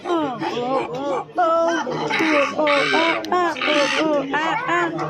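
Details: Silvery gibbon hoots sliding up and down in bent, wavering notes, overlapping one another, with bursts of broad rushing noise in the background.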